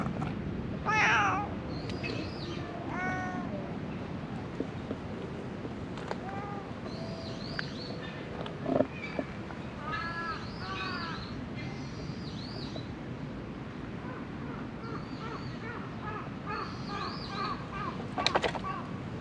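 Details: Strays surviving in illegally dumped rubbish, captured with a GoPro HERO8: one clear meow early on and softer mewing later, mixed with scattered bird chirps and a constant low background rumble.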